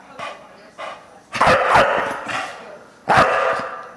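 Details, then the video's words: Deisal, a Bulldog that hates the camera, lets out short rough vocal bursts, a faint pair first and then two louder harsh growl-barks about two seconds apart, with noisy harmonic texture. "Bulldog - Deisal hates the camera"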